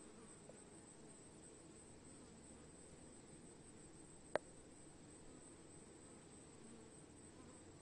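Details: Swarming bees make a soft, even, droning hum with a low buzz that continues without pause, broken once by a sharp click partway through.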